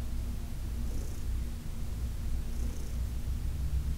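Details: Heidi, an elderly female cat adopted in New York City, purrs in a soft, low, unbroken drone as she is massaged on August 4, 2021; two faint brushing sounds pass over it.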